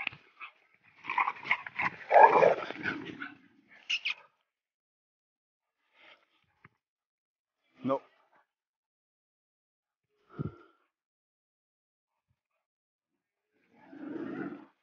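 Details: A female Rottweiler gives rough, grumbling vocalizations, then a few short, sharp barks spaced seconds apart.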